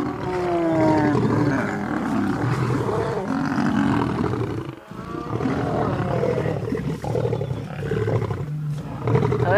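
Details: Wild lions, three Birmingham males and the Nkuhuma Pride with cubs, in a knock-down roaring fight at sunrise: rough overlapping growls and sliding harmonic snarls, a brief lull midway, with a man talking over the noise.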